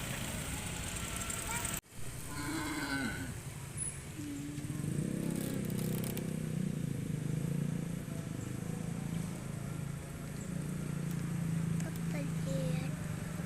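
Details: Cows moving across pasture as they are guided toward the farm pen; a brief lowing moo sounds early, after a sharp click, followed by continuous low rumbling from the herd and outdoor noise.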